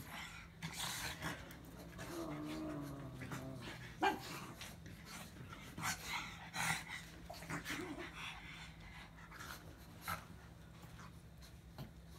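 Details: A pug's low, wavering grumble rising and falling for about two seconds, then scattered snuffles and breathy snorts, set against a faint continuous hum.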